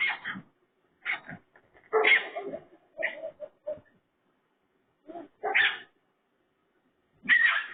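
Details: Pig-like sounds from a raccoon: bursts of rough squealing mixed with short chuffing grunts, delivered irregularly with a pause before the final loud squeals.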